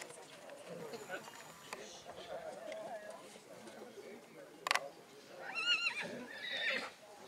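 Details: At the Black Forest Draught Horse foal show in St. Märgen on 11 August 2022, a quavering, wavering whinny rich in overtones rises late in the recording, preceded by a sharp clatter, over steady crowd chatter and nearby voices.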